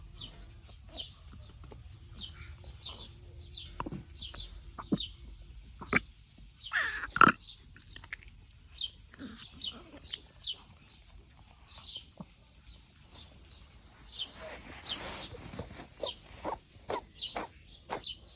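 A Ragdoll cat coughs and retches in harsh, rasping bursts while vomiting.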